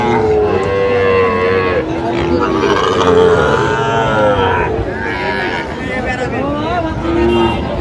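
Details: Sahiwal cattle, bull calves on sale at the Raniganj livestock market in Comilla, Bangladesh, on a Thursday in June; several drawn-out, wavering moos rise and fall over eight seconds amid steady crowd chatter and people talking nearby.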